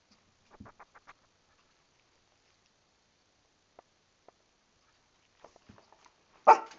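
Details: A female Shih Tzu, angry because she knows she is about to be bathed and can't get out of the tub, gives a single sharp bark after a stretch of faint soft noises.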